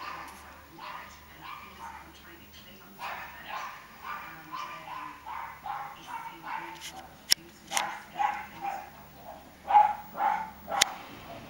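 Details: Dog outdoors barking while a fox is outside the fence: a long series of short, rough barks, roughly two per second. They come faint at first and grow louder toward the end, with a few sharp clicks.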